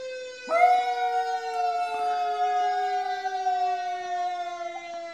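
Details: Maizie, a Miniature Schnauzer, howls along with a siren: after half a second of steady siren tones, a rising dog howl breaks in and holds a long, even, drawn-out note to the end, layered over the continuing wail.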